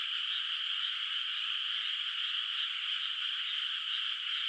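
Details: Distant frogs chorus through the night over a moonlit rice field in the countryside, before rice planting; many overlapping callers merge into a constant shimmering, pulsed trill with no gaps or other sounds.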